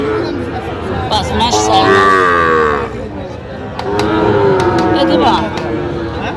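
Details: Young Sahiwal bull calves offered for sale at Aftabganj market, 16 August 2025: two long, harmonic moos a couple of seconds apart, surrounded by crowd noise and sharp clatter.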